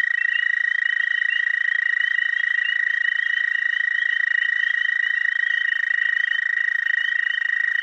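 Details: Chorusing male dwarf American toads calling in spring at a small breeding pond, a continuous high, even trill held steadily throughout, with fainter overlapping trills from other males at slightly higher pitch.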